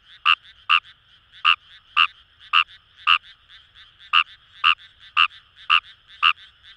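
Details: Fejervarya kawamurai calling in paddy fields along the Kamo River, Itoshima, Fukuoka, Japan: short rasping croaks repeated about twice a second, each pulse bright and clicky, with a faint chorus of other frogs humming underneath.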